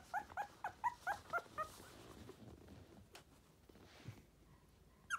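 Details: Tiny Poodle with a sturdy body giving a quick burst of six or seven thin, whining whimpers, then falling quiet amid soft rustling and room noise, with one more whimper at the end.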